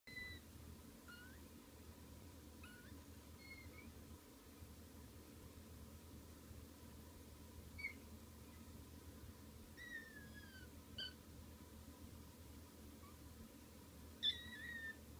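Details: Kittens waking up indoors: faint, thin high mews scattered through, short sliding chirps with a few louder squeaks near the end, over a steady low hum.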